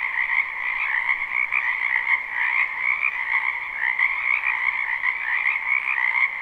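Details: Many frogs croaking together in a wetland during spring, live recording used as sleep ambience; thick continuous pulsing chorus with slight rises and falls in loudness, two layered pitch bands, nothing else audible.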